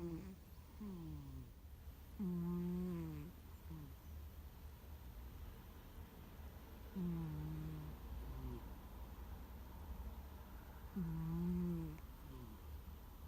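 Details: Sleeping pet cat, apparently named Gomataro, snoring loudly with a 'guu guu' sound likened to a middle-aged man: low, harmonic, wavering snores with falling and rising tones, repeating roughly every four to five seconds over a steady low hum.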